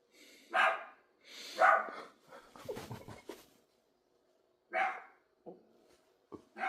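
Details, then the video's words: Irregular barking by a dog, two loud barks, then scuffling noise, then more barks and short yips toward the end. "If you like dogs making noise"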